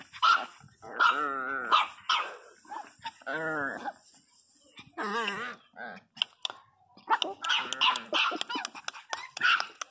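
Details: Pinscher named Teco crying very loudly: drawn-out wavering whines with rippling pitch, broken by short sharp yelps and barks that cluster toward the end.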